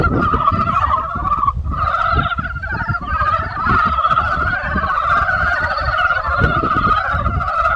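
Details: Many frogs croaking together in spring, a dense, unbroken chorus of rapid pulsed rattling croaks layered at two pitches, with a steady low rumble underneath throughout.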